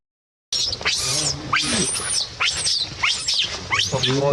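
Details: Baby monkey crying, a series of high, shrill screams that sweep up and down, broken by short pauses, with low human voices murmuring underneath.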